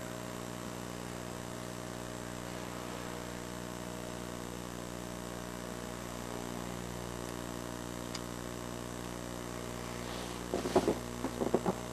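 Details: A constant electrical hum with layered steady tones fills the recording, broken near the end by a few sharp knocks and rustles.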